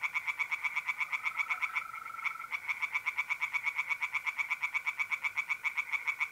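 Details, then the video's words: Night pond in North-East Italy in mid-April, with tree frogs giving a continuous stream of rapid, rattling pulses. A smooth, lower mole cricket trill sounds beneath them for the first couple of seconds. "singing tree frogs in pond"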